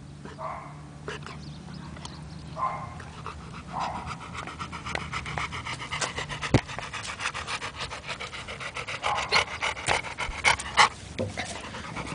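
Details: Labrador Retriever resting, breathing in quick, breathy pants that grow louder and more regular in the second half, with faint tonal sounds in the background.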